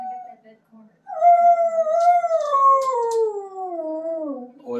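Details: Siberian Husky, a pet, howling along with a live stream of sled dogs; one long, smooth, tonal howl that starts high, wavers, then slides steadily downward over about four seconds, preceded by faint lower sounds.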